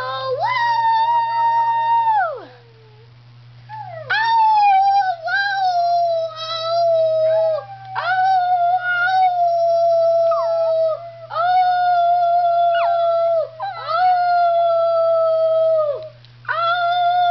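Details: Piper, a Schnauzer, howls in drawn-out, slightly wavering notes, each lasting about two seconds and often starting with a quick upward slide. Short gaps separate the howls, with longer pauses near the start and end.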